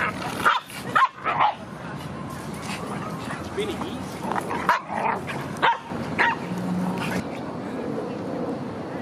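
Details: Rudy, a Boston Terrier, at a dog park in autumn, September 2015: sharp, short barks in a quick burst of three near the start, then two more a second apart midway, over a steady outdoor background with people talking.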